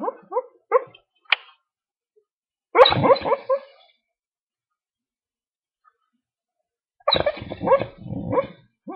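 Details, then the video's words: American Dingo dog asleep in its crate, vocalising while dreaming: a few faint short yips, a brief muffled bark burst, a long quiet pause, then another run of soft muffled barks and whimpers. "American Dingo Dreams"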